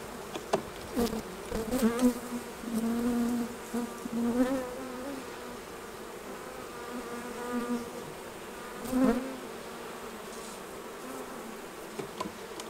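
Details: Honey bees buzzing around hives as the honey is taken off: a clear, steady low buzz that swells and fades in waves, with occasional sharp taps and knocks.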